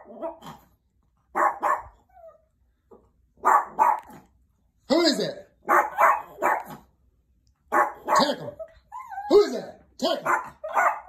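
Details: Chihuahua barking to alert someone at the door, indoors: sharp, high yaps in doubled and tripled bursts every second or two, some with a whining, rising tone, over about eleven seconds.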